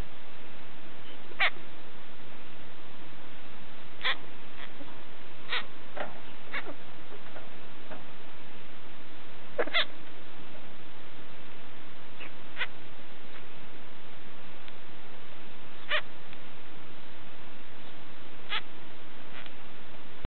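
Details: Pet hamster chirping at its owner: short, high, squeaky chirps scattered at irregular intervals over a steady background hiss.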